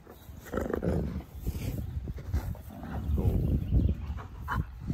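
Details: Wolfdogs growl low and rumbling in bursts as they mouth and snarl at each other; a female is reasserting her dominance over a male without hurting him.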